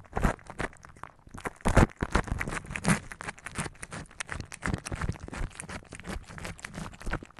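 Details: Cat eating its food, recorded close up for ASMR: dense, irregular wet crunches and smacking bursts follow one another rapidly, with a few louder crunches near the start.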